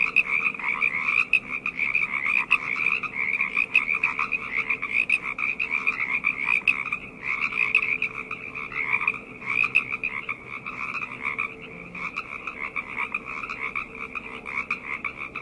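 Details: Frogs calling together at night, a dense overlapping chorus of rapid trilled croaks in two bands, one high and one lower, forming a continuous pulsing wall of sound with brief dips in intensity.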